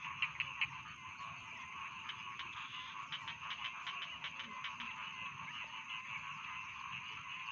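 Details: Rice field frogs in a dense chorus: rapid, overlapping croaks repeat about two or three times a second, with a steady, buzzy hum beneath them and a few louder clicks near the start.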